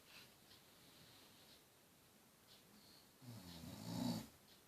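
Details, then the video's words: Lyla, a pet dog, asleep and snoring: one low, rumbling snore near the end after quiet breathing, with faint higher hiss above it. "Lyla snoring"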